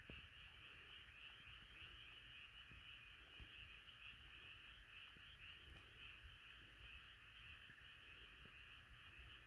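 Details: Crowd of frogs singing at once, a thick, unbroken pulsing chorus of croaks, with scattered light clicks and taps underneath.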